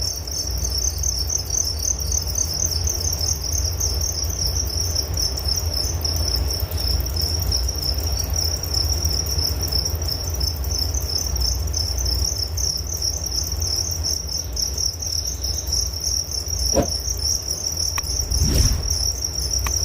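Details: Crickets trill continuously at a high, even pitch, the rapid pulses running throughout, with a low hum beneath and a few brief knocks and clicks near the end.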